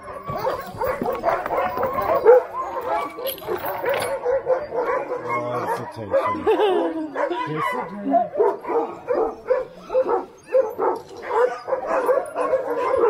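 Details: Many Alaskan Husky sled dogs at Snowhook Adventures in Willow, Alaska, barking and yipping together in a dense, continuous overlapping chorus, with a few human voices mixed in.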